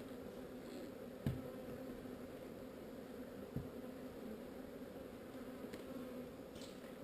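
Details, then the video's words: Relocated swarm of honey bees humming in a constant low drone, even and unbroken, with two sharp thuds near one and a half and three and a half seconds and faint ticks later. "Relocating Bees"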